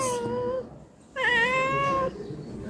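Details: Domestic cat visiting a house to be fed, meowing indoors: a short tonal meow, a pause, then a longer drawn-out wavering meow, with a woman's voice faintly in the background.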